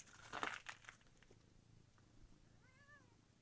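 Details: Kitten in a village gives a short, faint meow with a falling tone near the end, after a burst of loud rustling and handling noise.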